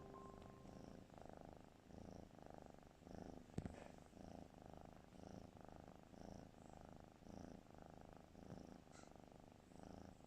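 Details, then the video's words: A sleeping cat snoring: steady low rasping pulses repeating roughly twice a second, each breath a soft rumbling burst, one brief click near the middle, otherwise quiet. "Snoring kitty"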